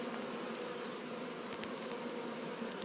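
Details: Honey bee swarm being moved, the bees crawling in to settle: a steady, unbroken low hum with layered harmonic tones lasting about three seconds, a few faint ticks above it, and no other clear sounds.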